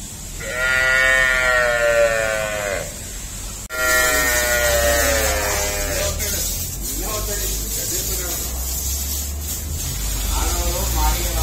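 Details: Cattle on an Indian dairy farm housing cows and buffaloes: two long, strongly harmonic moos, each over two seconds, followed by a human voice and steady mechanical humming.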